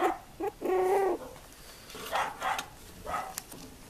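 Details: Tibetan terrier bitch producing a drawn-out, tonal whine held steady for about half a second. Shorter, fainter moaning notes follow at irregular intervals, with faint rustling in the background.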